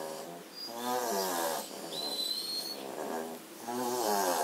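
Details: German Shorthaired Pointer puppies asleep after half an hour of frenzied play make soft, nasal whimpers and snores; one puppy's snoring could be heard from another room (27 September 2016).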